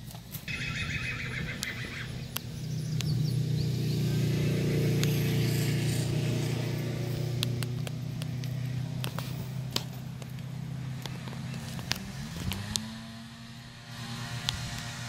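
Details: A 14-year-old black Tennessee Walking Horse mare, 14 hands tall, whinnies: a higher quavering start, then a long low vibrating call that fades. Sharp clicks and knocks sound throughout, with background hum.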